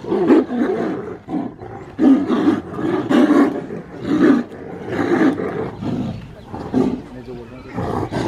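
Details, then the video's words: Tigers T120 and T19 fighting after mating in Ranthambore National Park, India: repeated loud, harsh roaring bursts about every second, rasping and low, with snarling between, some overlapping voices. "Tiger vs Tiger fighting after mating"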